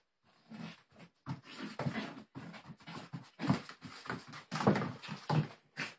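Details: Four-month-old Brussels Griffon puppy playing with a plush dragon toy indoors, making a rapid series of short rough snuffling growls and huffs in bursts throughout.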